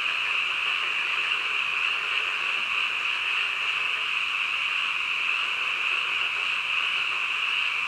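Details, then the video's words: Frogs in full chorus in the dead of night, their calls fused into a seamless high, ringing drone that runs evenly across the whole recording. "한밤중 개구리 울음소리"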